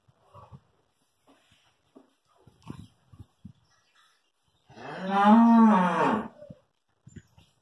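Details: A two-toothed Hallikar stud bull at Thattikere gives one long, loud moo of about two seconds, deep and steady with a rich stack of harmonics, preceded by scattered soft clicks and rustles.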